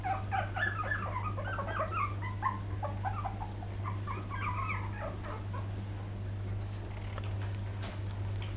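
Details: Poodle puppies filmed in 2012, several overlapping high squeaky whimpers and short yelps in rapid irregular bursts, some rising and falling, over a steady low electrical hum.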